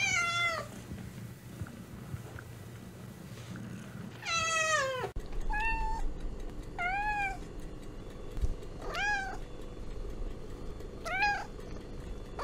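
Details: Meows of American cats and kittens, pieced together from two recordings: two drawn-out descending meows, then a cut to five shorter arched meows over a louder, busier hum.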